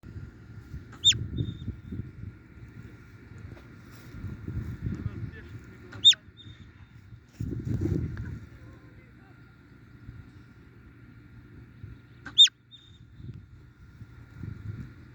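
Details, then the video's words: Marmot giving sharp, piercing whistles, each a brief high note that drops steeply, repeated three times about every five to six seconds, with low murmuring background noise between the calls. "о чём свистит сурок?"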